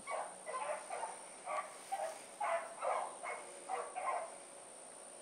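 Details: Blackreek pack of dogs, Choco, Dino, Johnny Ringo and Mingo, just put down for an evening run on 8-16-2014; distant barks repeat irregularly, roughly two per second, over a steady high electronic whine.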